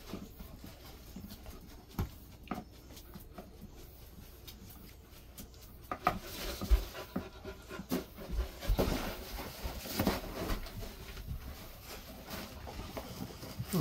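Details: Golden Retriever resting indoors in a cool room kept at 20 to 22 degrees during hot summer weather, at a site about 400 m above sea level; soft breathy panting, quiet at first, then steadier and louder bursts in the second half, with faint room noise.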